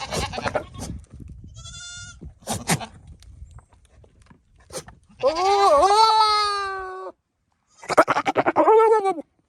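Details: Male Nigerian Dwarf goat, out of his pasture and visiting the female goats, making silly noises to flirt with them: short broadband snorts and sputters, then a long loud wavering bleat, then a rapid stuttering burst.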